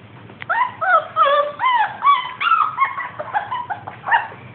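A Dachshund voices a rapid series of high, whiny yelps, about two or three each second. The cries are tonal rather than gruff, sliding and wavering in pitch, with a low hum in the background.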